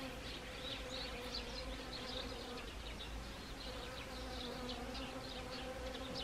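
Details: Honeybees among Siberian chrysanthemums, Gangwon Province, Korea, 1 October 2020, in autumn; an unbroken droning buzz holding a low steady pitch, with a brighter hiss of wing noise overlaid.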